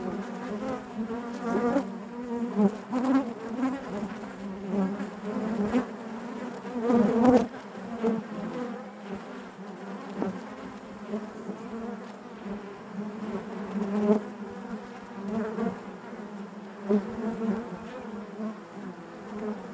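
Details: Inside a honey bee hive, a thick droning buzz holds steady for the whole stretch, pulsing gently louder and softer, with occasional sharp clicks and a brief rustling burst early on.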